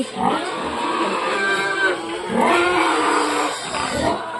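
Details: Domestic pigs squealing noisily at feeding time on a farm with a sow that refuses to suckle her piglets; a dense, rough chorus of overlapping squeals that swells and fades over several seconds.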